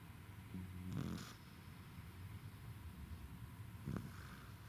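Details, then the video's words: Tired pet Corgi named Roku asleep and snoring, recorded 2021-11-28: a low, rasping snore with a faint tonal buzz early on, quiet breathing, then a second shorter snort near the end, with constant low household hum behind. "Roku snores イビキをかくお疲れなロクさん"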